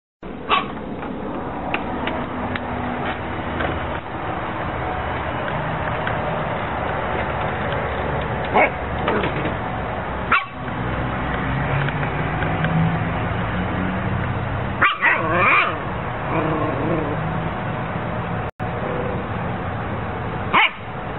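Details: Siberian Husky dog vocalizing indoors: irregular short barks and yelps with harmonic howling sounds, several sharp bursts spread through the recording over a steady background hum.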